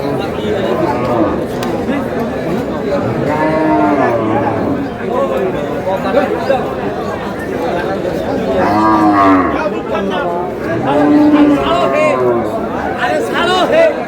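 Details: Cows at Aftabganj cattle market under intense sun on 22 April, sold for beef. Several long, wavering moos come from the herd, a strong one around the middle, while buyers and sellers talk and shout all around.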